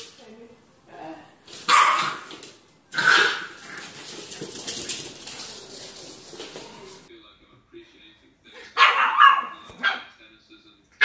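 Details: Puppy barking in a compilation of cute puppies: sharp high barks near two and three seconds, a murmur of human voices in between, then a pair of quick barks near nine seconds.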